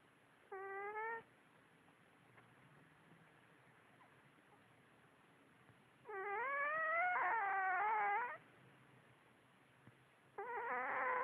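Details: Kasey, a very tired female cat, lying on her back asleep and dreaming, gives three bursts of squeaky, harmonic whimpering with a wavering pitch: a short one, a longer two-second bend-and-rise, and a final one. Quiet background hiss.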